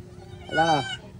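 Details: Goat bleating in answer after being called, one short nasal bleat with a rising then falling harmonic stack lasting under half a second, with people talking in Tagalog around it.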